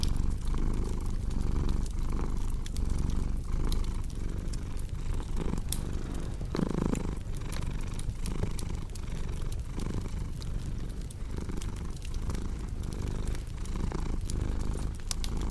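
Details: Domestic cat purring beside a cozy crackling fireplace, a relaxation mix for deep sleep: a steady low rumble swelling and easing about once a second, dotted with sharp dry pops and snaps from the burning fire.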